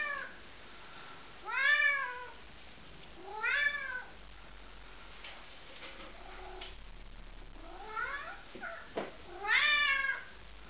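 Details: A lilac tabby point Siamese cat gives loud, drawn-out meows, rising then falling, asking its owner for a favour.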